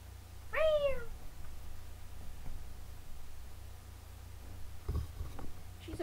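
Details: Molly, an eight-month-old female Yorkshire Terrier, vocalizes indoors on a "speak" command, captured by webcam: one short, high, whiny yelp that slides downward, then quiet room hum with faint rustling and a few clicks.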